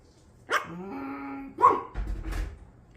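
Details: Pet dog indoors making an odd vocal sound: a short sharp onset, then a sustained nasal whine holding steady for about half a second, followed by two brief bark-like bursts and a low rumble.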